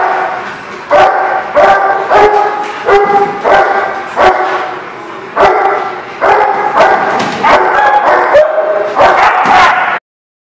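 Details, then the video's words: Several dogs bark in rapid, dense bursts at a lot, recorded 23 March 2019; high yapping calls overlap in runs of a few seconds, then cut off abruptly at the end. "The Barking Lot"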